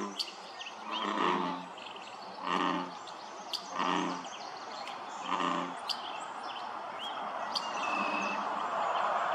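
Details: American bullfrog (Lithobates catesbeianus) chorus at Dellinger's Pond, Quincy, California, 27 June 2023: deep, resonant, twanging notes, each lasting about a second, repeated at a steady pace.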